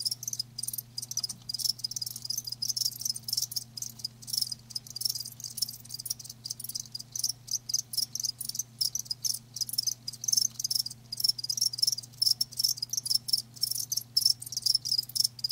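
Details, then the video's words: High-pitched chirping from live crickets, dense rapid trills repeating with brief gaps, a steady electrical-sounding hum beneath. "Live Crickets 60min "Natural Sound""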